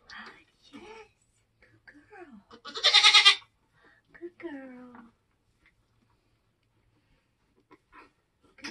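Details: Homestead Nigerian Dwarf goat in labour, delivering kids: a single strained, bleating cry stands out midway, with human voices murmuring before and after.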